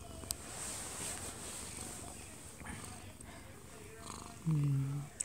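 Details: A one-year-two-month-old odd-eyed Munchkin cat dozing in its owner's arms, recorded at close range; a continuous low purr drones beneath a TV playing in the living room, with a brief louder voice near the end.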